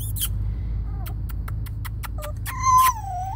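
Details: Rescued Spaniel/Papillon mix puppies from a kill shelter give thin, high whimpers that rise and fall, mixed with quick clicking ticks, ending in a drawn-out falling whine over a low steady rumble.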